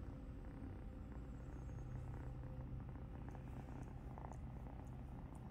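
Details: Kitten purring while an older blind cat grooms it indoors, a soft continuous low rumbling purr throughout with faint rustling from the grooming.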